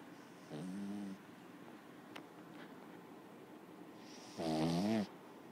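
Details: A sleeping six-month-old Lhasa Apso puppy gives two low, buzzy snores about four seconds apart.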